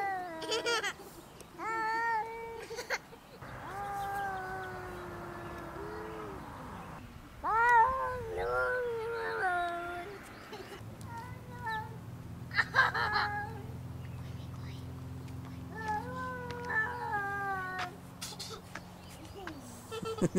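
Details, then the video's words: Singing pet cat in June; a series of short and long wavering meows, some rising and falling, with gaps between them, light background noise and a brief human remark at the end. "SINGING KITTY!"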